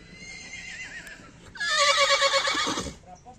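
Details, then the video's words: Horse whinnying: after a faint, wavering tone, a loud neigh bursts in at about one and a half seconds, starts high and slides downward through a shaky, quavering tail before breaking off abruptly around three seconds. "horse sounds"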